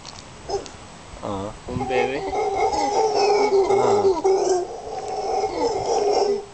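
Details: Howler monkeys near Casas Pelicano, Playa Junquillal, Costa Rica, breaking from a few wavering grunts into a loud, sustained roaring howl that drones on for over four seconds with rough, throaty texture.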